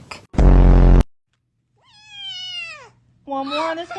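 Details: A domestic cat crying dramatically while being handled: after a loud burst of noise comes a drawn-out, falling meow, followed by a shorter, wavering, lower cry.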